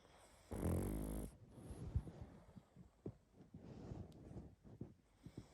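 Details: Pug dog asleep and snoring hard, one loud raspy inhaled snore lasting under a second, then soft snuffling breaths and small wet clicks in a quiet room.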